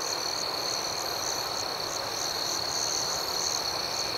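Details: Night chorus of crickets, an even, continuous high-pitched trill with faint rhythmic pulses above it, no single caller standing out, soft broadband hiss underneath.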